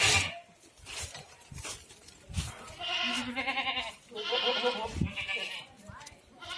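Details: Farmed goats in Ajmer, Rajasthan, giving quavering, nasal bleats back to back in the second half, over rustling, thuds and background voices.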